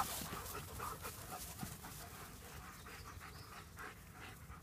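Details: Playing German Shepherds, one breathing in a steady run of soft, fast panting huffs, fairly quiet, with a brief sharp knock early on.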